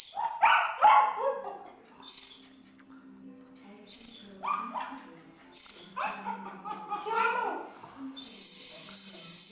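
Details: Pomeranian dog singing along to music, screaming and shouting: short harmonic yelping howls rising and falling in bursts, alternating with loud high whistled tones, with a steady low hum beneath.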